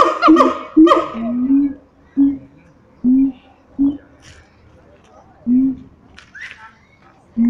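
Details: Siamangs at Taronga Western Plains Zoo give loud, harsh barking calls, then a run of short rising hoots about once a second.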